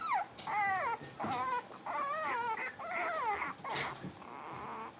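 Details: Young blenheim Cavalier King Charles Spaniel puppies in a pen, one of a playing litter of five; a string of wavering, whining whimpers, each about half a second long and bending up and down in pitch, then a sharp yip.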